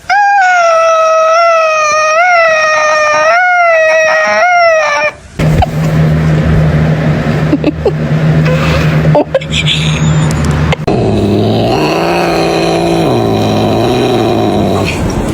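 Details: Domestic cat giving a weird, drawn-out wavering yowl for about five seconds, tone wobbling up and down, followed by loud rumbling noise and other indistinct sounds.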